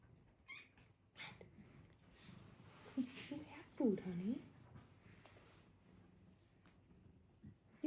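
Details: A female domestic cat indoors gives a short meow and then a longer, bending, wavering meow, while a woman gently asks what's the matter and talks about food.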